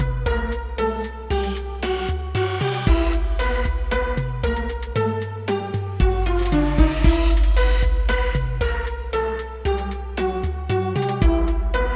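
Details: Loud electronic dance music with a drum-machine beat and repeated synth notes runs the whole time, with no animal voice.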